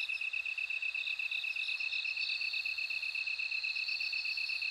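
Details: Bell cricket giving a continuous high, bell-like ringing trill beside a steady fast-pulsed chirping insect; a busy insect chorus with faint low background rumble.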